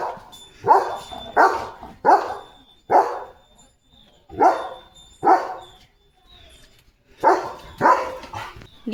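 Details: German Shepherd named Leo, just bathed and straight back on alert duty, barking in steady sharp bursts roughly every half second to second, with short pauses between runs of barks.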